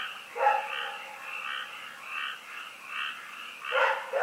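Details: Night barking from Rex, a dog at Pyrga, recorded 27 February 2018: two abrupt barks, one near the start and one at the end, with a dense chorus of frogs croaking in rhythmic pulses between them.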